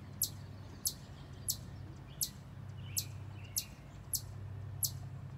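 A chipmunk gives sharp, high chips in a steady series, about three every two seconds, as an alarm.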